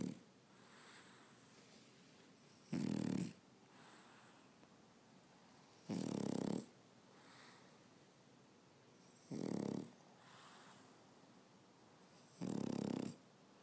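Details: French Bulldog asleep on its owner on a Saturday afternoon, snoring steadily: four short, rough, buzzing snores about every three seconds, with faint airy breaths between them in a quiet room.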